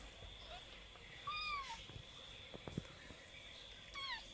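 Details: Twenty-day-old kitten letting out two brief high mews about two and a half seconds apart, with soft clicks and handling noise and a steady faint whine between them.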